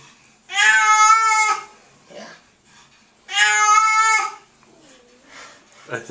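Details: Churchill, a pet cat, cries loudly while being bathed to remove tar or oil from his fur; two long harmonic wails, each about a second, that sound eerily like a crying human baby, with splashing and a soothing voice between them.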